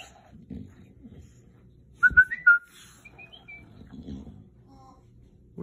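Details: Facing a talking cactus, bulldog Murph gives a quick run of three high whistled whimpers, then fainter thin tones trail off over a low murmuring background.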